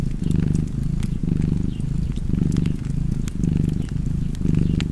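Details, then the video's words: Low, throaty cat purring in regular in-and-out surges close to one per second, with occasional fireplace pops and crackles behind it. "Purring Cat and Fireplace 4K / Wallpaper Tv Art Çerçeve / Cozy Purring Cat ASMR / Kedi Mırlaması"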